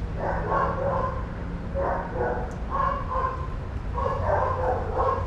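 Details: Several shelter dogs playing and running at daycare, barking in bursts roughly every second, bright overlapping barks above a persistent low hum.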